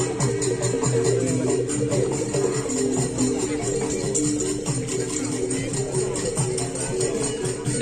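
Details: Loud, dense traditional music with rattling percussion, tambourine and voices at a bull race event, without any clear animal calls.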